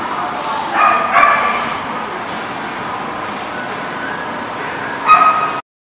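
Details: Dog barking on June 21, 2019: a quick pair of sharp, tonal barks early on, a long pause, then one more short bark near the end, all over a constant low rushing background noise.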